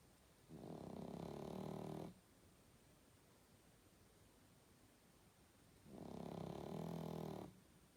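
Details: A pug asleep, snoring in two long harsh, rattling breaths roughly five seconds apart, each lasting about one and a half seconds with a low buzzy tone and quiet pauses between.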